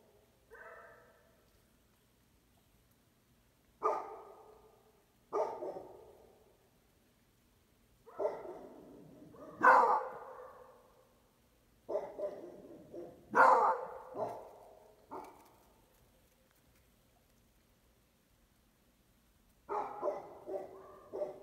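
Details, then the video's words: Beagle and Basset Hound mix barking at strangers: loud, harmonic barks and baying yelps in irregular bursts, often doubled, spread over about twenty seconds with quiet gaps between. "Beagle (Basset Hound mix) barking at the strangers"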